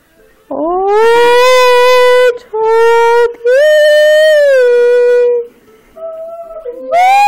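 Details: A pet Schipperke dog sings along with its owner, giving long sustained harmonic howls, first rising then held steady, three drawn-out notes over several seconds with a quieter wavering tone after, and a person's voice briefly in the room.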